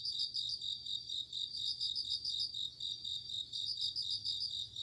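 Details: Crickets on an autumn night, a continuous shrill ringing with fast rhythmic chirp pulses woven through it, the loudness gently swelling and fading.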